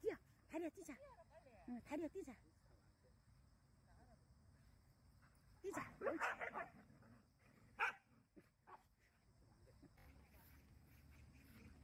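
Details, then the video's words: Jindo dogs walking in Busan voice their jealousy with a quick run of barks and whines. A louder burst of barking comes midway, then a single bark near eight seconds, against human voices and outdoor hum. "댕댕이들의 질투"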